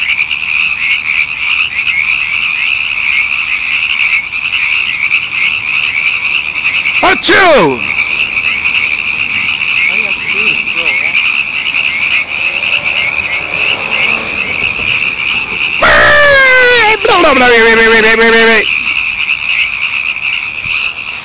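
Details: Many frogs calling together in a frenzied chorus: a steady, shrill high trill runs throughout. Two loud calls cut across it, one brief call near the middle and a longer harmonic call near the end, each sliding downward in pitch.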